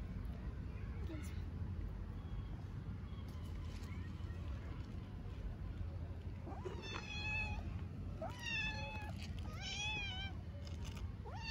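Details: Hungry orphaned stray kitten in Istanbul, Turkey, starts a burst of four or five loud, high, wavering meows after a quiet stretch with a woman speaking Turkish and steady low background noise.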